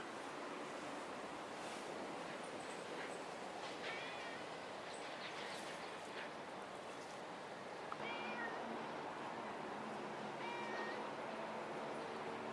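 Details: Kitten with a young adult cat outdoors on a riverbank in late November 2016, among fallen yellow ginkgo leaves; several thin, short meows at irregular intervals over a steady broad hiss of outdoor noise.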